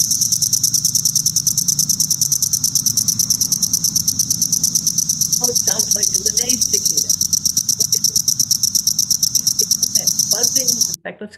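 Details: A reference recording of a Cassin's periodical cicada (Brood XIII species) is played back. It sings a high, fast-pulsing buzz that stutters as if having trouble starting, with faint voices underneath.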